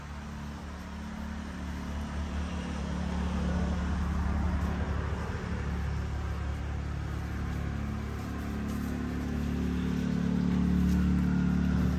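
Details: Deep engine rumble of a car fills the recording outdoors, swelling gradually in loudness with a steady low drone.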